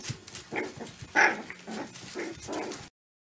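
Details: Caucasian Shepherd Dog (Caucasian Ovcharka) puppies, young litter: several short whimpering yips with one louder, higher squeal in the middle, then silence at the end.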